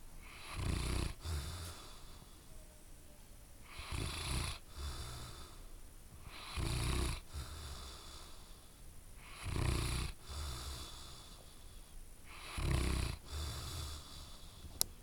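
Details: Loud snoring from a sleeping dog, five heavy rasping inhalations spaced roughly every three seconds, each a low rumble topped by breathy hiss, with quieter wheezy exhales between them.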